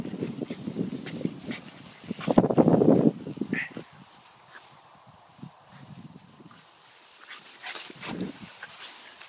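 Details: A Shiba Inu playing in the grass gives low, grumbling vocal bursts and a few short whines, with rustling between them.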